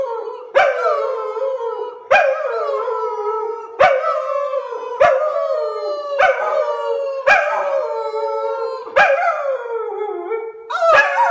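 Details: Domestic dog howling along as if singing, about eight short, falling howls repeated roughly every one and a half seconds, each opening with an abrupt yelp-like onset.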